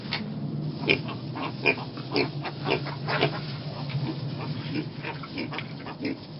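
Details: Mini pig piglets on a farm giving short, rough grunts, roughly two each second, over a steady low hum in the background.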